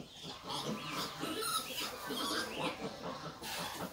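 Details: Crossbred wild boar piglets while the sow nurses them, giving overlapping high, wavering squeals and harmonic cries in quick succession over a steady background hiss.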